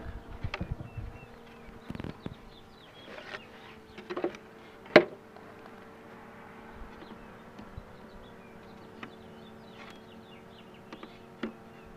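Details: Honey bees buzzing as the queen box is pulled from the hive: a steady, low, droning hum with an overtone above it, broken by sharp clicks and knocks from handling.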